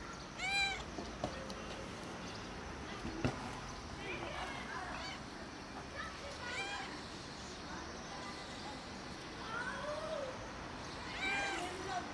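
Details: Arched meows from a kitten come in scattered bursts, a strong one at the start and more near the end, over a noisy background with faint voices.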